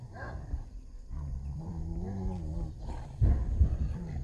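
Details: Street dogs fighting over a female: steady low rumbling growls run throughout, with a wavering snarl in the middle and harsher, louder snarling bursts toward the end.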